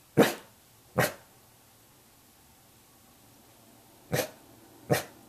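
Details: Weimaraner dog barking while watching and waiting for its owner to come home: four short, sharp barks in two pairs, each pair about a second apart, with a quiet pause of three seconds between the pairs.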